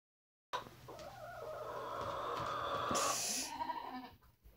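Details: Goat kept with other goats; one long, wavering, nasal bleat held for about three seconds, strained and slightly rising, ending in a short breathy hiss, with light rustling in the background.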